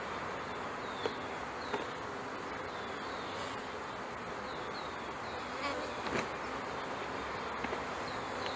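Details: A package of honey bees settling onto comb in a new hive, May 2013: an unbroken swarm hum with scattered clicks and light tapping.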